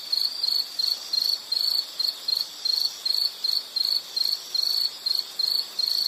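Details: Shrill insect chirps, high-pitched pulsed bursts repeated about two to three times a second with small gaps, a relaxing nature background for studying or sleeping; soft hiss beneath.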